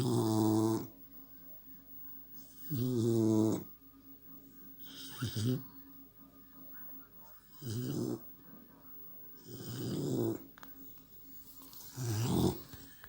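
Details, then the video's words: Sleeping American Staffordshire Terrier puppy snoring, rasping breaths repeating roughly every two to three seconds, each a rough buzzy snore about a second long with quiet gaps between. "Щенок амстафф, храп"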